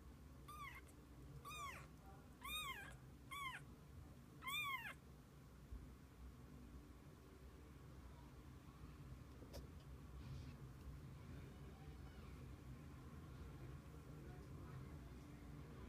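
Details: Kittens with their mother cat spending the day together; five short, high arched meows in quick succession over the first five seconds, each rising then falling, followed by quiet room hum with a single click.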